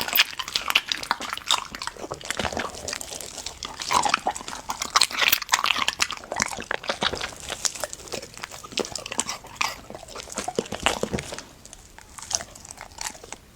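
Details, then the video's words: Raw-fed Golden Retriever chewing ostrich heart at mealtime, close indoor recording; steady crunching, smacking and biting noises in rapid irregular bursts, quieter near the end, without vocal calls. "生骨肉 金毛 沉浸式 狗狗吃饭"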